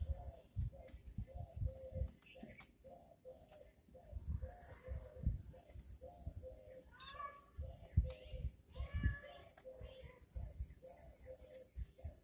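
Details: Kittens fighting and playing indoors. Short, high mews repeat about every half second over soft bumps and scuffling. Several longer, wavering squeals break in partway through.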